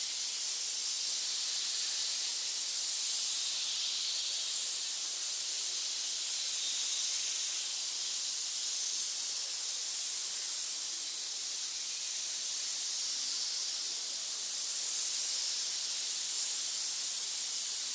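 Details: Snakes in a pit giving a sustained hiss, a dense, unbroken high-pitched rush of air lasting about eighteen seconds with slight swells in loudness and nothing else audible.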